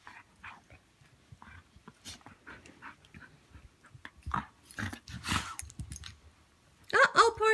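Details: A Siberian husky puppy gives sharp, wavering whines and grumbles while playing or fighting with another husky as they get to know each other, with a person talking throughout.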